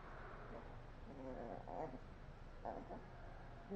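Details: Sleepy puppy making short, soft whining whimpers, a few brief harmonic cries clustered mid-clip and another near the end, over a steady low hum.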